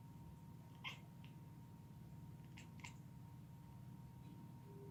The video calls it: Strange sounds British shorthair cat